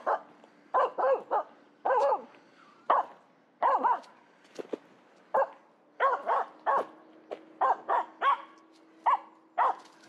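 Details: Finnish Spitz barking while chasing a squirrel: rapid bursts of sharp barks, often in quick pairs and triplets, with short pauses between bursts over about ten seconds, plus a steady low hum underneath.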